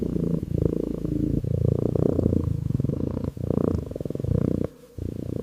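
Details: Calico kitten resting on a staircase, affectionate and close to the microphone, purring continuously; deep rhythmic rumbling in long phrases broken by short breath pauses, a quiet gap near the end, no music or speech.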